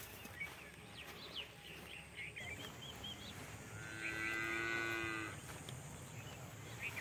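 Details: Calf on a farm gives a single drawn-out, steady moo lasting over a second, rich in harmonics, with small bird chirps scattered before it and a low rural background hum.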